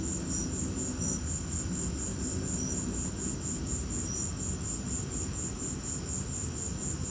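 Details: High, thin cricket chirps repeat rhythmically through a lightning storm, a bright steady pulse with an occasional lower chirp from another insect, above a heavy, even background rumble.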